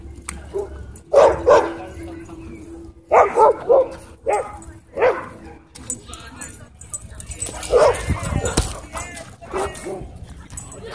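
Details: At a dog park, a small white dog attacks and bites a German Shepherd; loud separate barks in groups of two or three every second or two, with voices and crowd noise behind.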